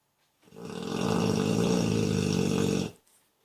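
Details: Pet dog from Moscow sound asleep after running around, giving one long, deep, rattling snore lasting about two and a half seconds, a low buzzy vibrating drone, then silence.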